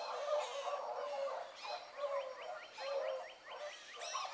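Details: Young hounds of the Blackcreek pack out running in the morning, pups Ringo, Mingo and Choco leading. Several overlapping bawling bays ring out in bursts, voices echoing together at a distance with rising, wavering tones.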